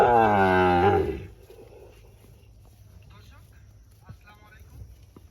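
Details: Sahiwal bull at a cattle market in Birampur, Dinajpur, Bangladesh, 24 June. A loud, rich moo opens the recording and slides downward over about one second before fading into quiet rural background and faint voices.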